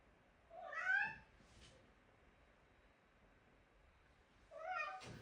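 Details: Pet cat giving two short, bright meows roughly four seconds apart, the first rising and falling, the second slightly clipped, in a quiet room with a soft click between.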